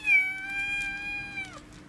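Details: Persian cat playfully kept inside a bag gives one long, drawn-out harmonic meow lasting about a second and a half, level at first and then sliding down at the end; quiet room, with a person calling softly around it.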